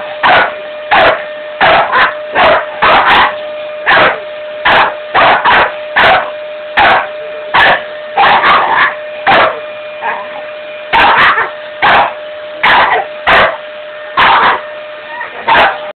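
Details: A Staffordshire Bull Terrier that dislikes vacuum cleaners barks in a rapid, insistent string of sharp, loud barks.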